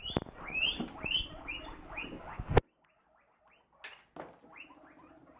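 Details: A baby guinea pig lying in a hammock makes soft arched squeaks over a low, rumbling purr.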